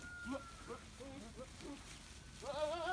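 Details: Farm goats among Alpine and small East African breeds, returning from grazing: a few soft broken bleats, then a loud, strongly wavering bleat rising at the end, with low background noise.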